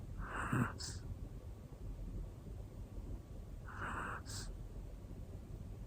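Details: Hana, a one-year-old black female Pomeranian, snoring while asleep: two short snorting inhalations roughly three and a half seconds apart, quiet breathing between.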